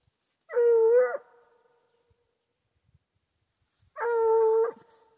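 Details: Two drawn-out howls from a Foxhound hunting wild boar, each under a second, flat and evenly pitched with a slight dip, spaced about three seconds apart in near silence.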